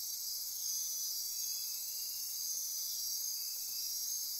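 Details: Insects chorusing at midnight in lush Costa Rican forest near Corcovado, Osa Peninsula: unbroken shrill pulsing drone high in pitch, several overlapping trilled bands, a faint lower steady tone beneath.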